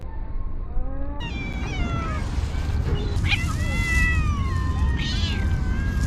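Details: Many cats being fed by a person: a chorus of overlapping high, wavering meows, several rising and falling, over steady low rumbling background noise.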